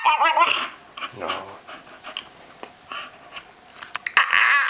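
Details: Staffordshire Bull Terrier kept as a pet producing odd noises: a wavering whine at the start, a low grumbling moan, scattered soft huffs, then a loud strained whine at the close.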